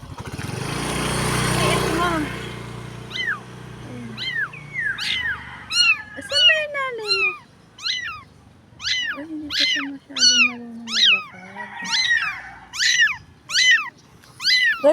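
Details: Small stray street kitten, not yet walking well, crying: after a woman's voice at the start, a long run of sharp, high, falling meows repeats roughly every half second to one second.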